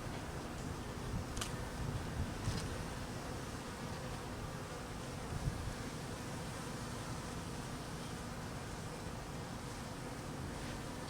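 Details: Massed honey bees hum in a low, constant drone while being fed during cold weather, with a few sharp clicks early on and light wind in the background.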